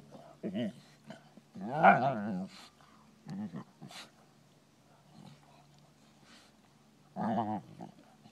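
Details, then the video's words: European Basset Hounds playing at Bellingham Bassets on March 23, 2013: short, harmonic barks in separate bursts, with one longer, wavering bay near the start and another burst toward the end over a steady low hum. "Bellingham Bassets playing European Basset hounds"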